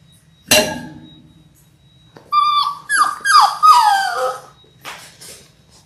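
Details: Six-week-old Labrador Retriever puppies, born January 18, 2022, in an indoor puppy cam pen: a sharp knock, then a cluster of high, wavering whines and squeaky yelps sliding downward over about two seconds, fading into softer whimpers.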